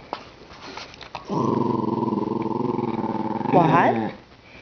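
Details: Ten-year-old female Cairn Terrier indoors, complaining when her toy is not thrown fast enough: a sustained, pulsing, grumbling growl-like vocalisation lasting about three seconds, ending in a higher, wavering whine, with brief owner speech before it.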